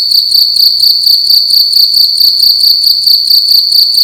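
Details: A single cricket singing loudly indoors at night, a bright ringing trill chopped into quick even beats, steady throughout the short stretch, with no other noise.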